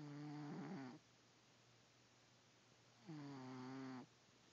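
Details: Fifteen-year-old pet cat snoring on a pile of warm laundry on a rainy Saturday morning: two long rough, buzzy snores about a second each, tonal and purr-like, separated by two seconds of quiet.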